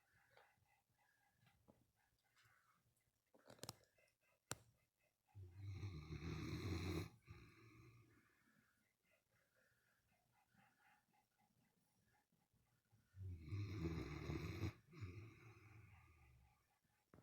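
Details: A 12-year-old female Great Dane, recovering from spleen surgery, snores while asleep in loud, rattling, low breaths with quiet pauses between them.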